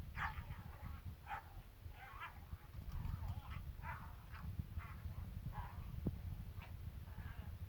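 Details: Kangal dog barking in quick, clipped bursts, roughly one or two each second, some rising into thin yips, set against constant deep rumbling noise.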